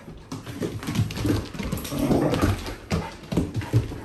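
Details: Two Akita dogs, Yuki and TAM, indoors in a small room warming up before a walk: soft whining and whimpering with low grunting sounds and some tapping and scuffling, steady for several seconds.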